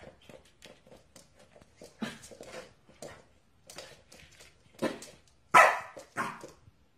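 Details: Corgi dog in a funny compilation, giving soft scattered barks and whimpery yelps, then louder sharp barks near the end, in a small indoor room.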